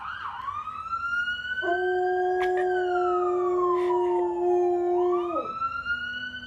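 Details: Domestic dog howling along with a passing siren: long sustained wavering tones that rise and fall, with the siren's steady and sweeping wail dominating alongside.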